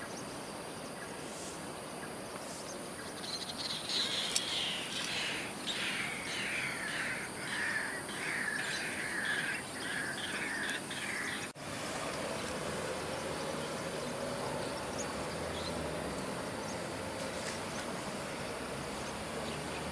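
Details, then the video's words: Wild otters at the meandering river in riverPark, Bishan, give a rapid burst of squeaky, high chirps lasting several seconds. Steady riverside noise follows. "OTTERS made Squeaky ' sounds '"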